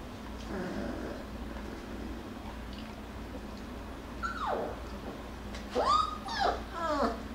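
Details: Jackabee puppies, Beagle and Jack Russell mix, playing and wrestling; a soft low grumble early on, then a falling whine and a cluster of sharp arched yelps near the end, against a low background hum.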